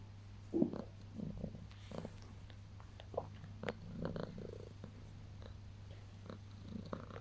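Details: Pet cat during early morning cuddles at waking, giving a soft low purr broken by frequent small clicks, rustles and movement noises close by.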